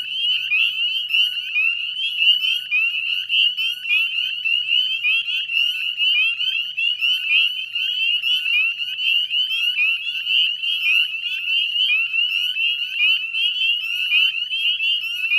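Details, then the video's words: At dusk in mid-May 2020, a wetland chorus of Northern Spring Peepers near the Chezzetcook salt marsh, Nova Scotia: many high whistled peeps, each sliding upward, blending into a relentless ringing din. "Northern Spring Peeper Chorus"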